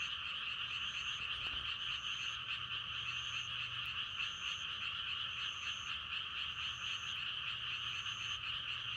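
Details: Frog croaking chorus for meditation and sleep, thick and unbroken with a rapid pulsing texture. A thin high note repeats about every second above it, with one sharp click near the start and a low hum below.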